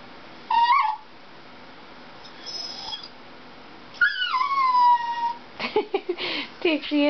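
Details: While watching a Toyota chase commercial, a dachshund gives a short yelp, then a long, high whine that falls and fades. Further broken yelps and whimpers follow, mixed with a person's voice near the end.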